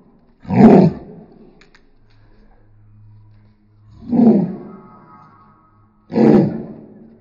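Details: Roni, an angry dog, lets out three gruff, rasping roar-like bursts spaced a few seconds apart, with a faint low hum between them.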